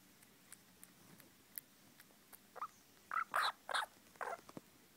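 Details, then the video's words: Baby squirrels giving short squeaky calls, faint single peeps at first, then louder rapid bursts of chirps in the second half, with light rustling between them. "Baby squirrels"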